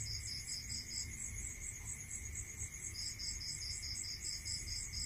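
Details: Night crickets in the countryside: rapid high beaded chirping from more than one insect, pausing briefly, over a constant high tone and soft low background hum.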